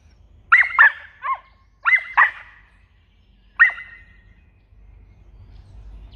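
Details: An Australian Cattle Dog puppy in protection training gives high, sharp barks in short bursts of one to three.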